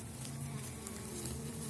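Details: Elgon bee honeybee colony emerging strongly from winter on seven widened Warsaw frames, queen laying, hive opened, 2019 season; continuous deep buzzing drone with clear steady hum bands, unchanging for the whole stretch.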